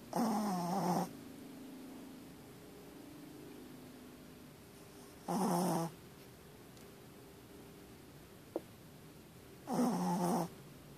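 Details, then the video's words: A pet dog indoors snores loudly with its eyes open. Three harsh, rattling snores come about every four and a half seconds, each lasting roughly half a second to a second. Between them, soft breathing and a faint click are heard. "Dog snores loud"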